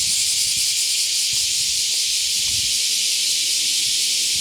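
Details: Cicadas on a summer morning walk, recorded outdoors: a loud, continuous hissing drone that stays steady and unbroken from start to finish, with no pauses.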